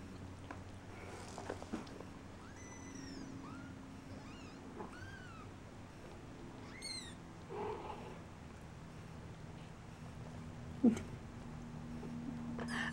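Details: Several thin, high-pitched mews from tiny shaded golden Persian kittens, just over two weeks old, exploring around their nest indoors. The calls are arched or rising-then-falling and irregularly spaced, with a low room hum and a sharp clatter near the end.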